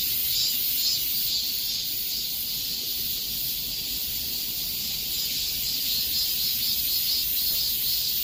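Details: High, sizzling drone of many cicadas in the summer heat, steady in loudness with a subtle pulsing rhythm and no other sounds standing out.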